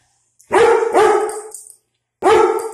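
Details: German Shepherd named Sasha and a Pitbull named Kino barking indoors at a dog seen outside, territorial guarding; three loud, full barks, the first two run together, then a pause before the third.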